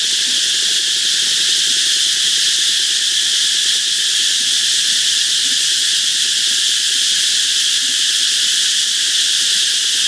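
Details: Dense cicada chorus by a canal in Vietnam's Mekong Delta, a continuous shrill droning hiss at constant loudness throughout, with only faint low murmurs beneath it.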